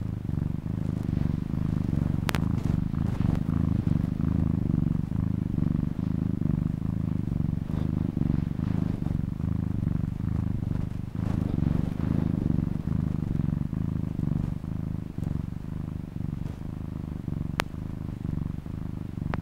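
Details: Sustained purring from a house cat, a dense low vibration that barely pauses, with two faint sharp ticks in the background.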